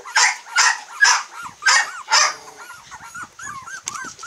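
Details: Long-haired Miniature Dachshund puppies aged 22 days in Kochi, Japan, including a cream female. Five loud rough yelps come roughly every half second, then give way to a run of thin, arching squeaks and whimpers.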